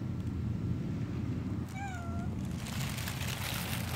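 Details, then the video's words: Stray cat giving a single drawn-out meow with a falling tone, against steady low rumbling street noise and a brief hiss of wider noise afterwards. "네마리 길고양이"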